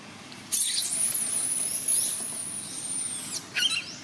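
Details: Baby monkey Paisley cries for help to her mother Princess, who ignores her: a thin, very high, drawn-out squeal that rises slightly and holds for about three seconds, then a short broken squeal follows after a brief pause.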